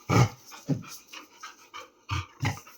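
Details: Labrador Retriever at play indoors, giving low huffing grunts and pants in short bursts, about four strong pulses across the clip, with soft household sounds between.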